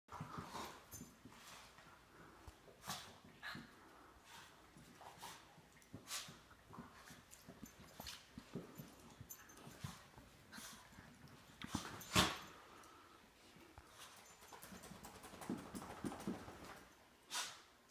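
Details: German Shepherd/Great Dane mix playing and play-fighting indoors with a Shih Tzu, recorded on an iPhone 5S; soft growls, whimpers and panting, scuffling thumps and an occasional sharp yelp.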